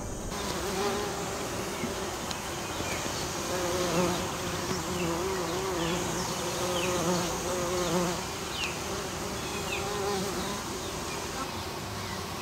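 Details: Bumblebees of the western species pollinating a flowering American basswood. A continuous, gently wavering buzz with shifting overtones fills the clip, and faint high chirps and ticks sound in the background.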